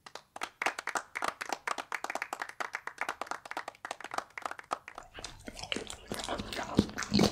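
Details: Bull Terrier eating raw beef, tasting different cuts: wet crunching and smacking bites in a quick run for about five seconds, then messier, denser chewing, all in a small indoor room.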